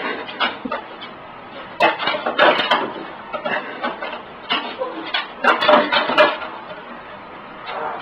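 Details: A 16-year-old pug hunting for a hot dog, snuffling and snorting in rapid, irregular bursts of breathy noise, with short quiet gaps between clusters of sniffs.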